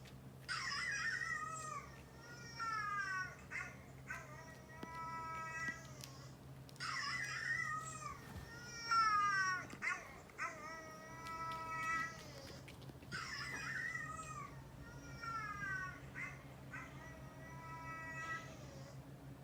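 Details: Household cats Kinta, an orange tabby male aged two, and Coco, a brown tabby male about three, responding indoors to dog barking. Repeated bursts of plaintive, wavering meows in clusters every few seconds, with short harsh onsets and light handling noise.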